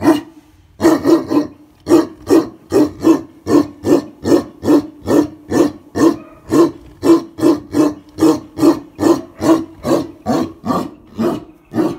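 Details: Tibetan Mastiff giving a long run of deep, loud barks, evenly repeated about twice a second, each bark a harsh throaty burst, in an enclosed space.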